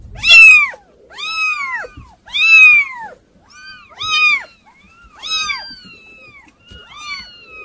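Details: Kittens giving drawn-out, bright harmonic meows, several overlapping callers, each note arching up and down, roughly one every second or two, with quiet gaps between.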